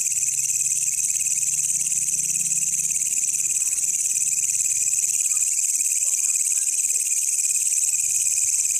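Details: Wild walang kecek katydid, found by chance while searching at night, recorded as a master sound for training songbirds: an unbroken, dense, high shrill buzz that holds steady throughout, with a faint low rumble in the first seconds.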